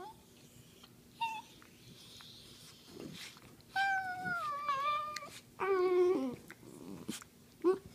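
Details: Dachshund wrestling playfully on a couch, giving high whining yelps and whimpers that rise and fall in pitch, loudest bursts around 4 and 6 seconds, with low grumbles and rustling in a small room.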